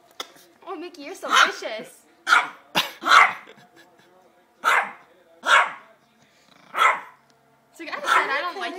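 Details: Small dog named Mickey, called a mean puppy, barking at a baby; sharp barks come roughly every second with short gaps, mixed with a woman's soothing talk and laughter.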